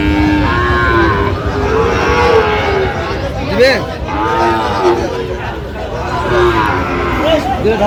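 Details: Sahiwal bull calves at a Brahmanbaria cattle market, Bangladesh, 19 December: drawn-out moos rising and falling, one sharp bawl near the middle, amid loud market hubbub and people talking.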